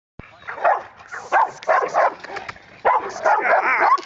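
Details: An 8-month-old female Rottweiler in area-protection training barks in deep, rough bursts while a man shouts commands like "Get back!"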